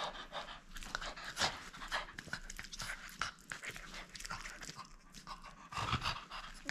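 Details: French Bulldog gripping a toy during play and refusing to give it up, quieter panting mixed with crunching and chewing sounds.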